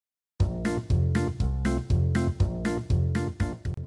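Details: Bright keyboard music plays in repeated chords after a short silence, with no animal voice present.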